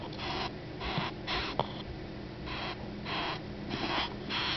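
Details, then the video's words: Bess beetle found in a park near a university, shrieking when poked by rubbing its wings on its abdomen as defense. Harsh, hissing rasps come in bursts of about half a second, often in pairs, with a faint click midway. "Odontotaenius disjunctus Shrieking Beetle"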